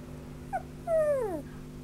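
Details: Sheltie and Spitz mix dog giving a brief high yelp, then a longer tonal whine that slides steadily downward in pitch, over a constant low electrical hum.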